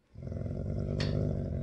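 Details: A Great Dane and a St. Bernard, after keeping apart and growling a lot, begin playing with tails wagging. A deep, steady, throaty, rumbling play growl is heard.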